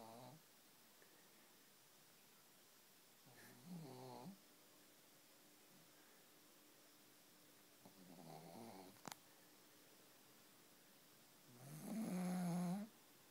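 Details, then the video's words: Relaxing pug snoring indoors: four rasping, throaty snores about four seconds apart, the last one loudest. A faint steady hum and a sharp click sound between the snores. "Pug snoring"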